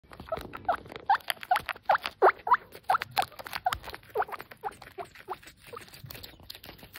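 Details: Small female guinea pig quickly munching a leaf, making short sharp squeaky chirps repeated several times a second amid crunchy chewing sounds, fading toward the end.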